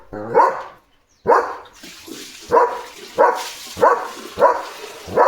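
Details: German Shepherd on early-morning barking duty, loudly barking at a dog seen outside: deep, harsh barks repeated about every 0.6 seconds after an opening bark and a short pause.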